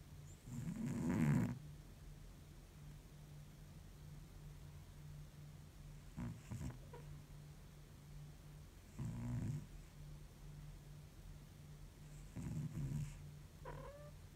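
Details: Exhausted cat in deep sleep snoring, described as like an old man: low rasping snores at about 1, 6.5, 9 and 12.5 seconds with quiet pauses between, over a steady low hum.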